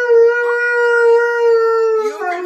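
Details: Siberian Husky howling continuously: one long, steady, even-pitched tone with rich harmonics holds for about two seconds, then wavers and slides lower at the end.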